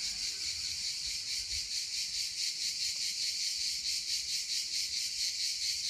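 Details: Cicadas sing at 1 a.m. on 22 July 2015, filling the night with a steady, hissing buzz that pulses a couple of times per second.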